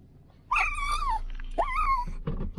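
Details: Female pug, excited about a run at the park, gives two high, nasal whining cries that rise and then bend downward, the first longer than the second, followed by a short rough noise and a person laughing.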